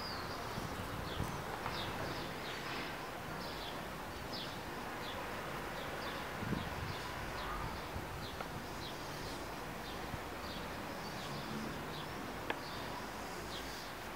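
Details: A female worker buff-tailed bumblebee (Bombus terrestris), foraging on hairy vetch flowers on a terrace, hums with a low, steady drone, with faint high chirps in the background.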